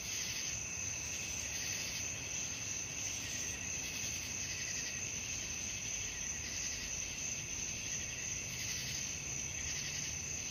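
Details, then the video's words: Night crickets calling for a sleep-relaxation track: a dense, steady high-pitched trill with a soft swelling pulse roughly every half second to second, plus a fainter lower ringing band and low background hiss. "suara jangkrik malam"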